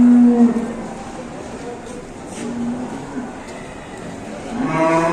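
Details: ['Ploughing cattle in Indonesia, acting up during a ploughing round; a short, loud, steady low moo opens the clip and a rougher moo returns near the end, with background chatter between.']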